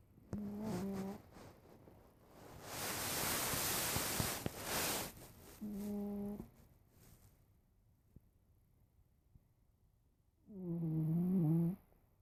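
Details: Domestic cat asleep in the afternoon, snoring: three buzzy, tonal snores about five seconds apart, each with a slight upward-bending pitch, and a burst of loud rustling noise between the first two.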